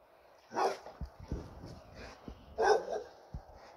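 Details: American Pit Bull Terrier giving two loud, short barks about two seconds apart, with soft low thumps and shuffling between them.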